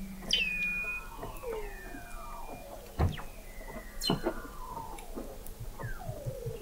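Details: Weddell seals under thick sea ice in McMurdo Sound, Antarctica, recorded November 2017 by a hydrophone 21 m below the ice: long descending whistles and sweeping glides overlap, with a steady flat tone and sharp clicks between.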